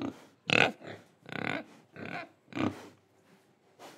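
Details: Pig in Indonesia, breathing and eating: four short, rough, broadband grunts spaced about a second apart, each a quick nasal burst, then a quiet pause and a final softer grunt.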